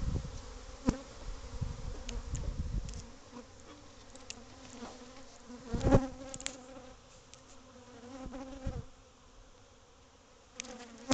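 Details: Many agitated bees at a hive built into a cavity of a house's covered patio; dense humming drone with stacked harmonics, interrupted by repeated bumps and handling knocks.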